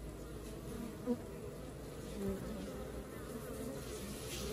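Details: Honey bee colony at work: a dense, steady low buzzing hum of many bees, with faint brief tonal whines rising above the drone.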